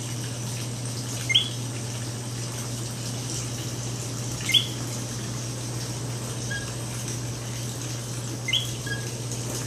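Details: A common coqui in San Juan, Puerto Rico gives a few sharp, rising chirped notes several seconds apart over a steady low hum.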